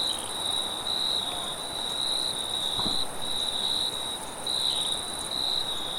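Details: At night a cricket trills in high, bright bursts with brief gaps, set against steady wind noise and a single soft thump near the middle.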